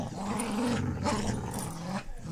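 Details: Adult female Pit Bull Terrier playing tug with a puppy indoors, rolling onto her back and letting him drag her around, filmed by phone in low light; a low, steady rumbling growl runs almost unbroken for about two seconds.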